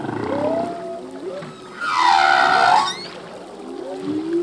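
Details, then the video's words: Male humpback whale song at sea, part of a full-length song: a rising whistled tone followed by a loud, bright, buzzy upsweeping cry lasting about a second, then low moaning tones that glide upward, with faint reverberant underwater background. "Whale song - full length humpback whale song"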